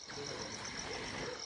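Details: Many crickets chirp together at night in a steady, high, ringing trill beside a river in forest at Rajaji National Park, India, with nightjars also calling.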